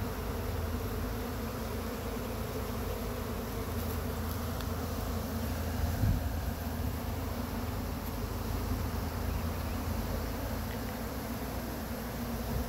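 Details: Honey bees from a swarm on a pine tree in Chattanooga, being swept into a framed box; a steady, heavy low drone runs through the recording, with a brief bump around six seconds.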